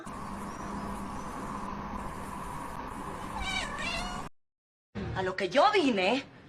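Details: Domestic cat meowing: after a steady low hum, a short wavering meow, a brief silent cut, then several louder, bending meows in quick succession over background noise.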